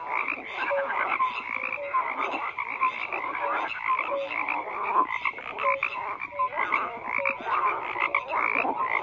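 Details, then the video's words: Many frogs croak together in a thick, unbroken chorus, harsh rattling pulses layered over brief clear piping notes that recur irregularly throughout. "FROGS CROAKING"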